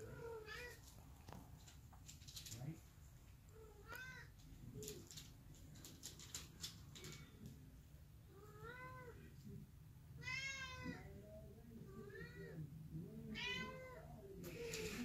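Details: Domestic Long Hair cat indoors chasing a remote control car; several short meows scattered through, with clattering toy noises, people talking and clicking sounds.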